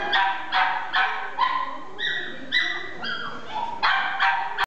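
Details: A male Chihuahua × Toy Poodle mix dog gives sharp, bright barks roughly every half second. Drawn-out high whining notes come in between the barks.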